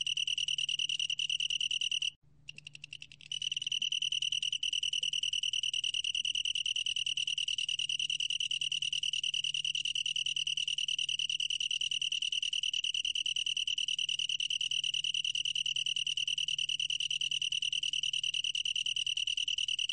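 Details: Long-tailed tree cricket song from 2020, a sustained high pulsing trill that cuts out for about a second early on, then resumes and rings on unbroken to the end.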